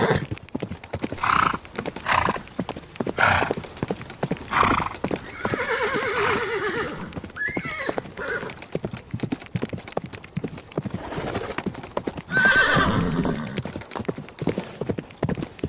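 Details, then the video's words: Hooves clip-clop steadily as a horse neighs midway with a quavering, descending whinny and a rising squeal, then a brief higher call near the end. "Horse Sounds - Horse Sound Effect - Horse Neighing"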